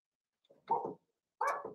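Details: Seven-week-old Blenheim Cavalier King Charles Spaniel puppies from a litter of five kept in an indoor puppy pen. Two short, rough puppy barks about half a second apart, the second sharper and higher-pitched, in a quiet room.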